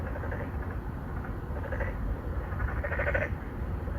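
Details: Several male narrow-mouthed frogs, 맹꽁이, an endangered species, calling for mates from an apartment pond in Songdo, Incheon, Korea, Galaxy Note9 recording; overlapping short pulsed nasal croaks, the loudest near the end, over low traffic drone.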